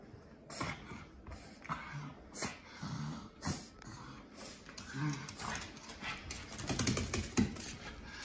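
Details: Shih Tzu/Pekingese dog, male, that hates being bathed, grumbling with short low growls and whimpers during a bath, mixed with loud splashing water and clattering; the growls come in brief bursts every second or two.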